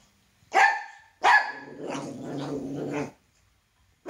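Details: Toy poodle, male, scared of his own shadow: two quick high barks in succession, followed by a low rumbling growl of nearly two seconds, then silence.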